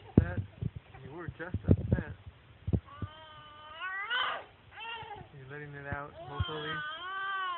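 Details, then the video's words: A pet cat named Reily, upset and vocal, recorded on a phone: drawn-out wavering meows with rising and falling pitch, mixed with a person's speech and some handling thumps early on. "Reily making noise"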